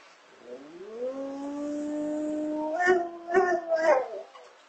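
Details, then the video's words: A female Rottweiler asleep gives a drawn-out, rising howl, then three short yelping bursts, startling a person awake. "Person is startled awake by his Rottweiler making noise in her sleep!"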